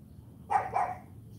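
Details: CHARME, an AKC champion Cane Corso puppy, during morning training. Two quick, deep barks follow one another in under half a second, then quiet.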